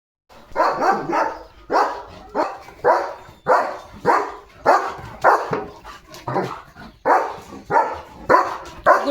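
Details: Leo, a German Shepherd dog, out roaming his farm field, barks in a steady run: about fifteen loud, harsh, broadband barks in nine seconds, spaced roughly half a second to a second apart, with no other sounds intruding.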